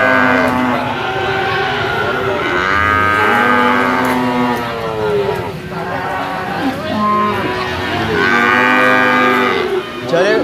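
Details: Jumbo sacrificial cattle of 500 kg and above, kept in a pen where they are weighed; long, drawn-out harmonic moos from several animals overlap almost continuously, with brief human speech in between.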